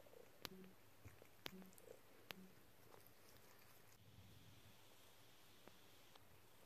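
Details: Snuggly cat Dexter lies on a lap making happy paws, giving a low continuous purr broken by three brief chirps early on, then the rumble alone with soft clicks.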